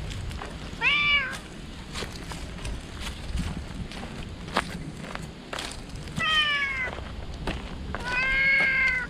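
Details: Stray cat found in the shade of a tree, crying out loudly in joy on seeing a familiar person's face; three harmonic-rich meows, one short early and two longer falling cries near the end, over outdoor background noise.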